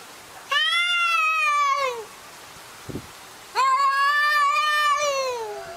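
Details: Two long, loud meows from arguing cats, each about one and a half seconds, level then sliding down at the close, separated by a quiet gap with a brief soft thump.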